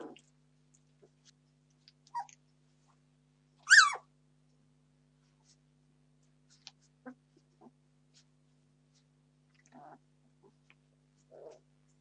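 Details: Entlebucher Mountain Dog puppies, 17 days old, demanding food indoors: sparse soft whimpers and squeaks, one loud high squeal rising and falling midway, then quieter short whines spaced several seconds apart.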